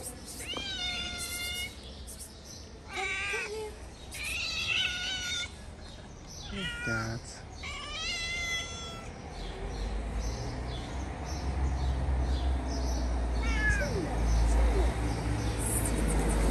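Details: Friendly stray cats in Morocco meowing loudly and repeatedly in the first half, bright wavering cries with rich overtones, one strained yowl near the middle, then a steady rumbling background and a lone faint meow near the end.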